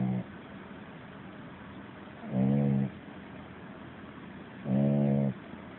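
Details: Sleeping puppy snoring in a dream, loudly: low, buzzy, throaty snores, three short bursts spaced a little over two seconds apart over a steady quiet hiss.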